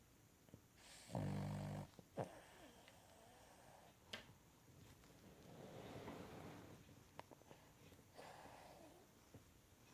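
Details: Cavalier King Charles Spaniel snoring while asleep on a lap indoors during a workday; one loud rasping snore early on, then softer rumbling breaths and snuffles, with faint clicks in a quiet room.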